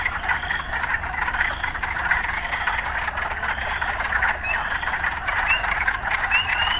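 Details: A frog chorus from an urban soundscape: a dense, rapidly pulsing murmur, with faint rising chirps appearing toward the end.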